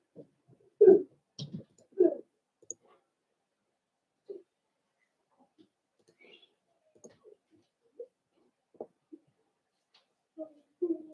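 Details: Four-week-old Cavalier King Charles Spaniel puppies indoors in their puppy pen, socializing with other dogs; short, low whimpers and grunts, a loud cluster near the start and again at the end, with faint clicks and scattered soft whines between.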